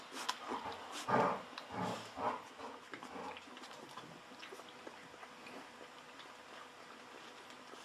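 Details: Golden Retriever puppies aged 11 to 13 days, a litter from Aiko of Haarby and Lady Dina, kept indoors; a few short squeaky whimpers and squeals in the first three seconds, likened to guinea pigs or human babies, then soft rustling and quiet.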